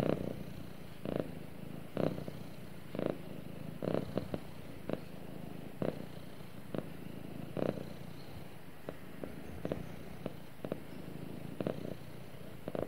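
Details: Purring pet cat snuggled up with its owner, a continuous low throaty drone broken by short sharp rustling bursts at irregular intervals of about one to two seconds.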